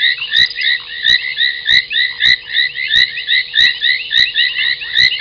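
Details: Foam nest tree frogs at the Gowrie dam waterhole, Djuma Game Reserve, Sabi Sand Wildtuin, South Africa, near midnight on 30 January 2021; busy overlapping creaky croaks pulse in waves, with crisp clicks roughly every half second.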